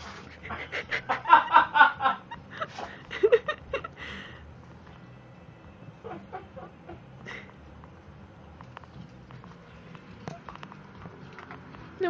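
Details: A female brindle Boston Terrier gives a quick burst of sharp, snorting sneezes while a person talks to her; she smashes her face on the floor when sneezing, setting off repeated sneezes.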